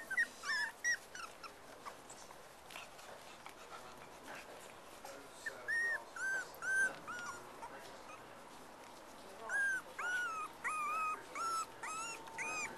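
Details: Cocker Spaniel puppies, black and black-and-white, playing together with their mother; clear drawn-out high whines and squeals, each about half a second, rising then falling, coming in bursts with short pauses between.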